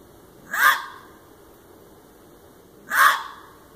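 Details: A red fox gives two hoarse, rasping barks about two and a half seconds apart, part of a loud, persistent calling repeated several times within an hour; the exact type of cry is uncertain.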